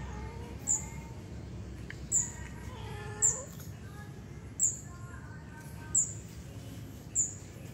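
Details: Stray cats being fed where people dump them, giving faint drawn-out meows that bend up and down, half-buried under a sharp high chirp repeating about every second and a half and a steady low background rumble.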